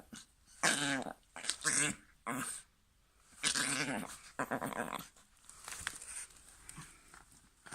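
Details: Female dog growling in play indoors over a teddy being offered and taken back; four or five buzzy, droning growl bursts, each about half a second, separated by short pauses, then a softer rumbling stretch toward the end.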